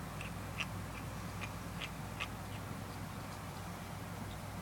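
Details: A 6-week-old Persian kitten learning to eat makes short, quacky little chirps in a quick irregular series while eating.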